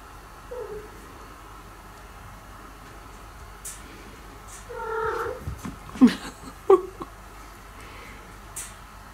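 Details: Indoor cat scene in which a former stray steals food from the resident cat. A short, low meow comes first, then a louder, wavering mid-pitched meow and a brief strained cry, with clinks and rustling in between.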